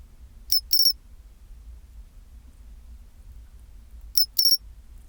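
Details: At 24°C a pine cricket repeats its chinchirorin call twice, roughly four seconds apart, each a short clicking lead-in then a sustained high bell-like trill, over a low steady hum.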